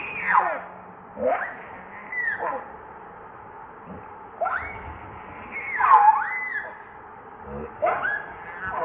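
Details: Baby monkey named Leo crying at its mother for milk, hungry and pleading: repeated wailing cries that sweep down from high to mid pitch, coming in bursts about every one to two seconds.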